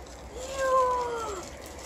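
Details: Alaskan Malamute named Liza, indoors, reacting to a new fish toy from her aunt: one drawn-out tonal howl lasting about a second that swells upward, holds, then slides down. Slovenian speech just before and after.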